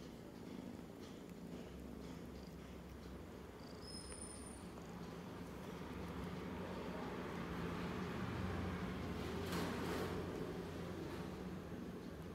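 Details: Tiny kitten snuggled up with its sister Browny: a continuous deep, buzzing purr with a regular throb that swells in the second half, plus a few soft rustling sounds.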